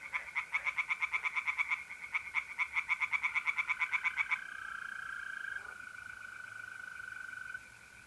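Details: A night chorus of tree frogs from a pond in North-East Italy in mid-April. A fast, clicking pulse train runs for about four seconds, then gives way to the even, unbroken trill of mole crickets.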